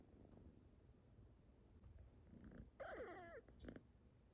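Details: Cat or kitten meowing indoors: a single wavering, harmonic meow lasting about half a second, falling in pitch at the end, followed by a short faint squeak, over a low rumbling background.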